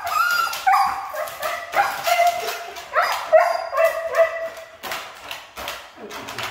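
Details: Siberian Husky described as hard to train, giving a run of high, whining yips and yelps with bright stacked tones, some sliding down in pitch, delivered in quick irregular bursts several times a second.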